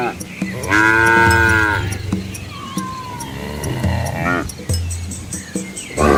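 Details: Asian village cattle and calves walking together on a rural road past rice fields; one long, strong moo early, then softer shorter lowing calls with a rising squeaky note between them, plus background clatter.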